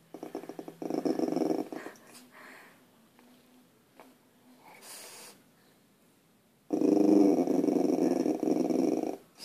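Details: Puppy inside growling at deer outside: two low rumbling growl bouts of about one and three seconds separated by quiet, with rustling and a man's voice nearby.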